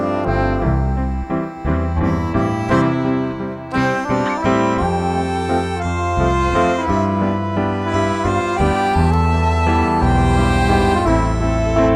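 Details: Continuous instrumental music with accordion-like and saxophone-like melody over a bass line; no animal voice heard.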